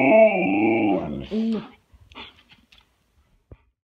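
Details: Gizmo, a dog pleading for breakfast inside a small room, gives a wavering, moaning howl followed by a short second grumble, then quiet with faint shuffling and a soft click.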